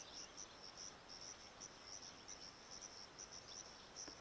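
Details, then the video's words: Crickets of the Sciobia cf. caliendrum group in chorus, one male at his burrow entrance, Zahara, Andalucia, Spain, 17 May 2014: a string of sharp, high-pitched chirps from several singers, closely spaced, over a dense noisy background. "Sciobia cf. caliendrum, chorus and male in front of his burrow"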